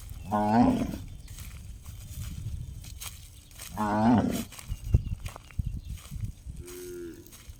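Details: Cow calling with a strange gong-like sound: two short ringing harmonic bellows roughly three and a half seconds apart, then a faint lower tone, with knocks and rustling in the background.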